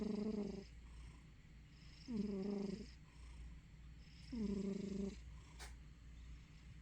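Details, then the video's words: A sleeping domestic cat gives a low, buzzy snoring purr, swelling in short bursts about every two seconds. "Juliet-Eve sleeping, snoring/purring cat."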